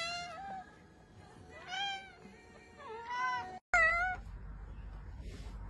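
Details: Domestic cats meowing, among several ranked as funny: a few drawn-out harmonic meows with rising and falling tones, separated by short gaps, then a louder bright meow after a brief cut, over low background hiss.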